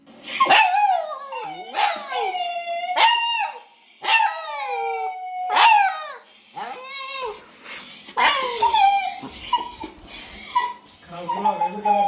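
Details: Dog crying, presented as funny; sharp yelps that slide downward into whines, repeated every second or so, then fainter whimpers, with a high whistling tone and music entering later.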